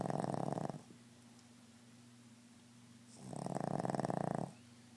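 A Boston Terrier snores loudly, each rattling breath drawn out for about a second.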